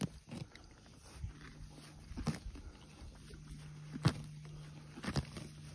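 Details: A donkey grazing, with scattered crunching and tearing of grass as it chews, over a low, steady hum.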